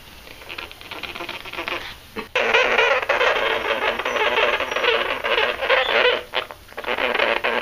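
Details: Two newly adopted pet sugar gliders, angry and unhappy at being filmed, give a harsh, buzzy, crackling noise that runs almost without a break for over five seconds, with brief dips in loudness, indoors.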